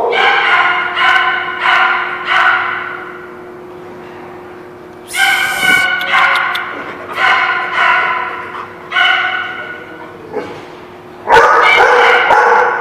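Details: Dogs recorded March 18, 2017, giving rapid runs of short, tonal barks in quick regular series, pausing, then resuming in bouncy clusters before a final loud burst, over a steady low hum.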